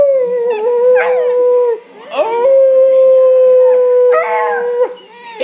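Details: Pet dog indoors joining a beagle baying on television: loud, sustained, even-pitched howls, each held one to two seconds or longer, with brief rough yelping breaks between them.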